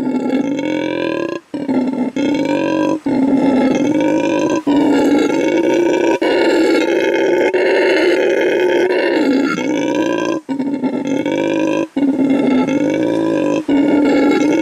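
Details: A male red howler monkey rescued from animal trafficking, at a refuge in Bolivia, gives a deep, rasping, sustained howl as loudly as he can, marking territory at his new home.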